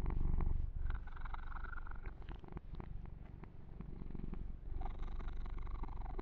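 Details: A deep, fast-pulsing purr from the pet kitten Yumak under massage, loudest at the start, with scattered clicks and fur-rubbing rustles across the recording.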